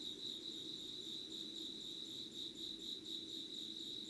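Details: Insects calling at 5:00 on 25 August 2019, in an unedited recording made by candlelight: a steady high, pulsing trill with rapid even throbs, ringing harmonics above it, and a soft low hum underneath throughout.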